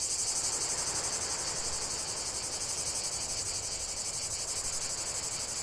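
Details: Cicada chorus, a high continuous buzz with quick rhythmic pulsing, over a softer rushing hiss lower down.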